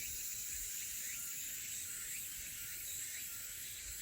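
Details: Elusive crickets and cicadas at Haenam: a steady, dense, shrill high-pitched chorus with faint repeated chirps woven through it, continuing unbroken for the whole stretch.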